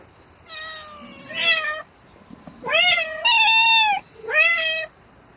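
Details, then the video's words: Domestic cat calling for a mate in the night with drawn-out, wavering meows, four harmonic calls in close succession, the middle ones loudest and sustained. "Tiếng mèo kêu Gọi Bạn Trong Đêm Meo Meo Từng Hồi"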